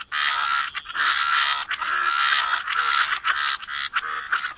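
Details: Dense chorus of many croaking frogs by the waterside in wetlands, a continuous rattling, pulsing din with overlapping voices and brief dips roughly every second, no other sounds standing out.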